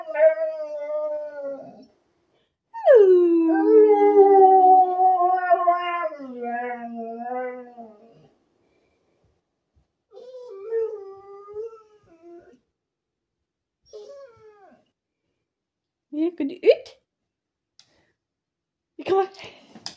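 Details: A 12-year-old Alaskan Malamute gives drawn-out, sliding whines that swell into a wavering howl, then trail into shorter broken whimpers, seeking encouragement and whining until a person sings along, whose voice briefly joins.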